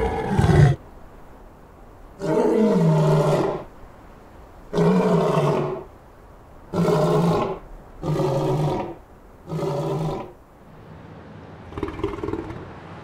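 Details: Lion in the African savanna roaring in a series of deep, rough bursts about two seconds long, repeated roughly every two to three seconds, with faint background hiss between.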